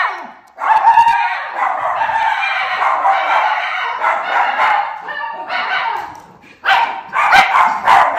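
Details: Two Miniature Schnauzer brothers, Lucky and Levi, from Aroostook County, Maine, keep up a noisy indoor chorus just after coming in from the yard: overlapping wavering howls and yips running continuously, with a short dip before rising again.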